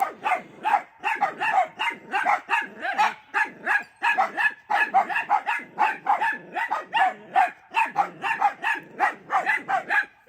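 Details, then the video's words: Dachshunds barking nonstop at their grandmother looking out the window at them; a dense, continuous run of high, sharp barks, several dogs overlapping, two to three barks each second. "Weenies Barking at Their Grandmother in the Window"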